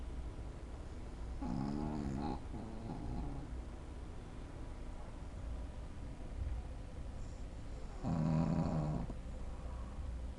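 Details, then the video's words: Shih Tzu named Lunna Prince Dubai, fast asleep and snoring: two low, rumbling, harmonic snore bursts, one around the second and third seconds and another near the eighth, over a quiet steady room hum. "Shih-tzu roncando"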